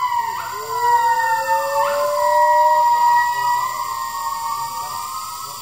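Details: Two rescued gibbons at a rescue centre sing long, pure-toned notes that swoop upward and then hold level for several seconds. One voice is higher and one lower, overlapping in a wavering, howl-like chorus over a faint background hiss.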